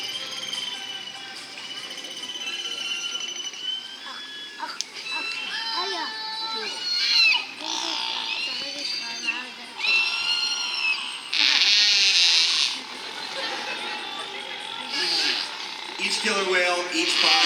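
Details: Captive killer whales of the Kasatka family at SeaWorld San Diego, recorded December 9, 2015, around 2:30 pm during a presentation on their communication. The calls are squealing, harmonic tones sweeping up and down, with bursts of buzzy pulsed sound.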